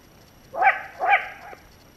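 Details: Wild Asian badger in Korea, one of the country's endangered wild mammals: two short, harsh, harmonic calls about half a second apart, each with a rough bark-like onset and a trailing tail, over faint background hiss.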